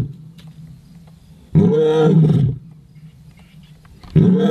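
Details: Leopard calling at night: a loud, low, hoarse roar lasting about a second, followed by a quiet stretch of faint low rumbling, then a second rough roar that begins near the end.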